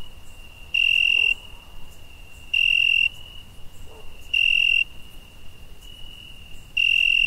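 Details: Night-time summer crickets: four bright, piercing trilled chirps about two seconds apart, each lasting around half a second, with a quiet unbroken high-pitched trill between them.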